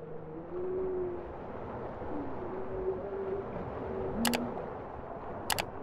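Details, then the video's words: Bowhead whale song: several low, smooth tonal moans, some gently rising or falling, drift over a steady underwater hiss, with two brief sharp click bursts near the end. "Bowhead whale songs"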